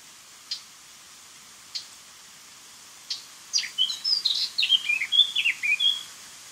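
Eurasian otter giving high, thin chirps that quicken into a rapid twittering run of squeaky whistles.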